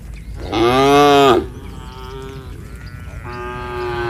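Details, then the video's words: Tame village cattle walking back to their shed, calling to herd-mates already there: one loud, rich moo lasting under a second, then quieter drawn-out lowing from other cows. "Suara sapi Moo memanggil temannya"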